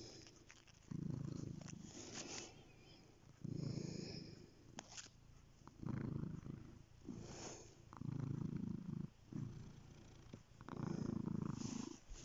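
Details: Cat purring steadily, low rumbling swelling into louder bursts about every two and a half seconds with each breath, quieter purr between, a few faint clicks and rustles above.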